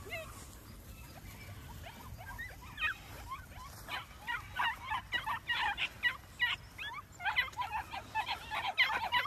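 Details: Several New Zealand Huntaway puppies yapping over one another, starting faint and sparse, then building into a dense, busy chorus of shrill, rising yelps in the second half.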